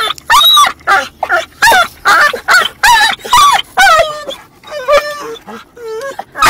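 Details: A dog barking in a funny way inside a car while a second dog moves around; rapid, whiny, yelping barks with wavering tones, roughly two per second, easing into softer drawn-out whines near the end.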